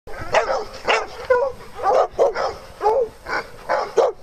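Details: Dogs at playtime on a farm; a series of about nine sharp, mid-pitched barks and yips at irregular intervals, roughly one every half second, with short gaps between.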